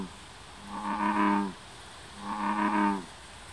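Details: Two deep, cow-like bellows from American bullfrogs, filmed at Moriya City and Mount Tsukuba, Ibaraki Prefecture, Japan. Each booming, resonant call lasts nearly a second, with a pause of about a second between them. The background is quiet.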